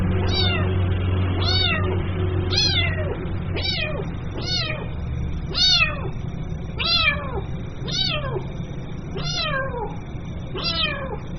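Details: Kitten mewing to call its mother: around eleven thin, falling meows at a steady pace of nearly one per second, somewhat softer, over a persistent low hum.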